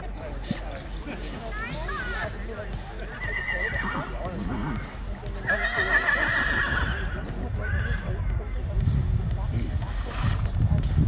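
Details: Black Forest Cold Blood filly, born January 2021, at a cold-blood foal show in Pfullendorf in 2021: several high, wavering whinnies rise and fall over hoof clip-clop and steady talking from people nearby.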